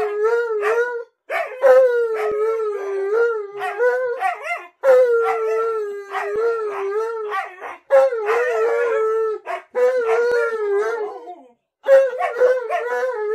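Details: {'caption': 'Alaskan Malamute Tonka sings at length indoors after trailing the owner into the bathroom, delivering a series of howled phrases a second or two long, each wavering and slightly falling, separated by short breaths, with laughter after.'}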